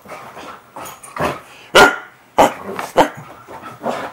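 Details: A Siberian Husky, playing with zoomies on a bed, gives short, sharp barks and yips, with a person talking softly in between.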